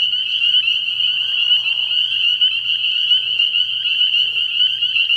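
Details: Spring peepers at a frog pond on an early-spring night, a dense shrill chorus of overlapping high peeps with slight pulsing, faint soft lower croaks, and a light low hum in the background.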